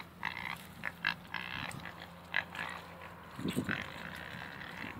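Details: Pigs, two pot-bellied pigs and two Mangalicas, making short snorting grunts and squeals in scattered bursts, with a low steady hum beneath and a cluster of deeper grunts near the end.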